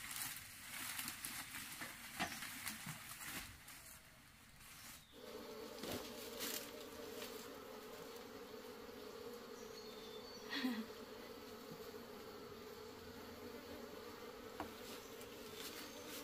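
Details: Honey bees found in the forest, being captured and tamed to raise on a farm for honey: a steady, droning hum of many bees, with clicks and handling noises early on.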